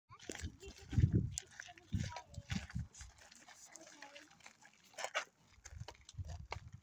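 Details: Polar bears (Ursus maritimus) at Yorkshire Wildlife Park, fighting over a piece of meat, give deep, rumbling growls and grunts in short bursts, with people talking nearby.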